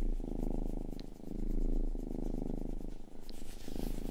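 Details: Purring from Rangi, the youngest pet cat, recorded indoors up close for ASMR: a steady low rumbling purr pulsing in breath-length swells, with faint clicks and a soft high hiss above.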